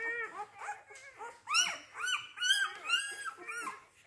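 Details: Young Rhodesian Ridgeback puppies of a kennel's C litter, born 8 June 2019, whine together in a dense chorus of piercing, bending cries, some sliding upward sharply, louder in the second half.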